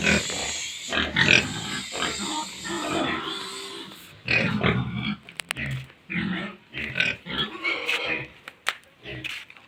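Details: Feeding time at a pig farm: many pigs squeal and grunt in short overlapping bursts, with some higher shrill squeals and metallic clicks among them.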